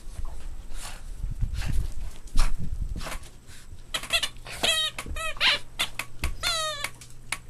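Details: Boston Terrier puppies at play: after scuffling and thuds, a series of sharp rising squeaks and yelps follows in the second half, some stacked with bright overtones.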